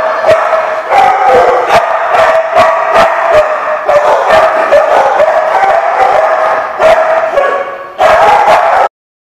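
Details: Dogs on 15 June 2015 keep up a steady run of loud, sharp barks at a brisk, fairly even pace, with a short dip just before a final burst and abrupt silence.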